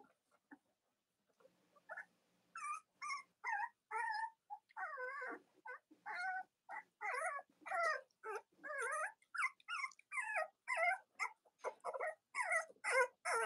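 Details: Whining chorus from Cavalier King Charles Spaniel puppies of Robin and Myra's litters: after a quiet start, wavering, wobbling cries follow one another rapidly, about two a second, growing steadily busier and louder.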